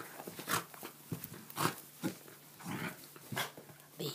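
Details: A corgi barks short and sharp in irregular bursts at a bee while a person repeatedly says "leave it."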